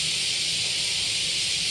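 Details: Cicadas in Japan in the middle of cicada season, a dense continuous high-pitched hissing buzz that never breaks, steady in loudness throughout, with faint low rumble beneath.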